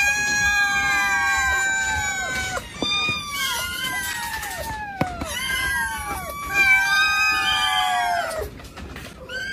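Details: Several cats in a cat cabinet meowing over one another: drawn-out, harmonic cries that hold steady and then slide downward at the end, repeated with little pause, with a few short sharper calls between them.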